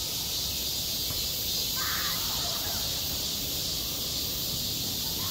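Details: Cicadas on a summer school playground keep a continuous high buzzing drone, and a brief rough burst of sound around the second second.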